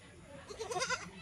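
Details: Goats on a farm near Shirdi that keeps local and Osmanabadi breeds. A brief, soft, quavering bleat with several rising and falling tones, heard over low background noise.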